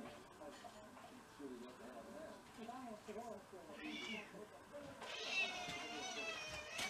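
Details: Domestic cat in a Japanese household of six mixed-breed house cats, recorded in February 2023 on the day of the first snow; a rising-falling, high harmonic meow comes late, with an earlier shorter one, over steady indoor human talk.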